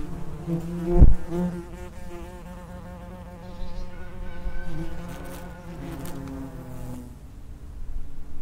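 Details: Common wasps (Vespula vulgaris) at the entrance of an underground nest: overlapping low droning buzzes with steady harmonic tones that waver in pitch as insects come and go, a sharp knock near the start, louder buzzing again at the end.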